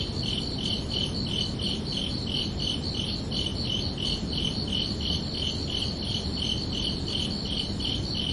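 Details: A cricket chirps steadily at night, high pulsed trills repeating rapidly over a soft low rumble.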